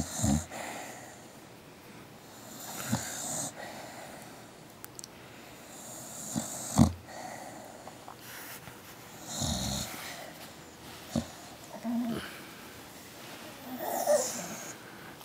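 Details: A tired, sleepy dog that stays active in its sleep snores softly: breathy, rasping snorts and exhalations come every two to three seconds, with quiet indoor hiss between them.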